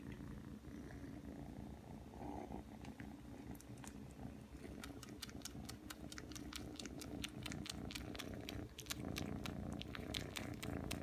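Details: Low continuous purring from Aki, a Ragdoll kitten aged three months, kneading and suckling after coming when called; rapid wet sucking clicks grow dense over the second half above the rumbling.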